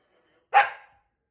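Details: A single sharp, clipped bark from Rory, a demanding Scottish Terrier having a tantrum while his owners are on holiday, standing out against near silence.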